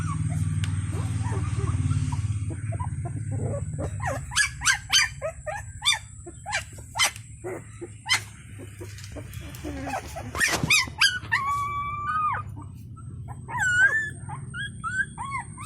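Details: Domestic puppies from a litter of eight call for their mother's attention while she feeds four of the others. Short yelps and barks come first, then rising and falling whines near the end, over a low rumbling background.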